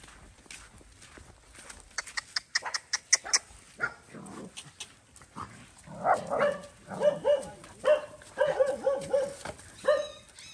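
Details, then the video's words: Stray mother dog on a farm in Cambodia, guarding her puppy as it is given food: after soft clicks and rustling, a run of short, sharp mid-pitched barks repeats quickly over the last few seconds. "Poor dog want to bite poor boy when he give food to her puppy"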